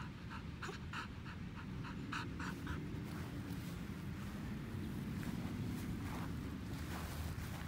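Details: Elderly white Samoyed named Pasepon on a lawn, panting in quick rhythmic breaths for the first three seconds, then fading into softer, less distinct breathing against steady low background rumble.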